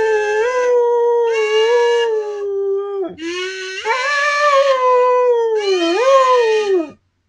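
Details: Dog howling along with a kazoo, long sustained howls holding a steady pitch then bending downward, with buzzy kazoo bursts layered on top, in near-continuous phrases.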